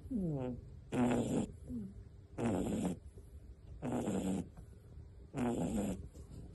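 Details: Sleeping pet rabbit at a rabbit rescue sanctuary snoring: loud, raspy, harmonic snores in bursts about every one and a half seconds, each roughly half a second long, with faint rising squeaks between them in a quiet room.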